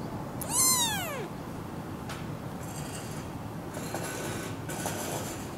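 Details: Tiny three-week-old kitten, perhaps the runt of four littermates from a half-feral mother, handled: a single loud, clear meow arching up and then sliding down, then only low noise and faint rustles.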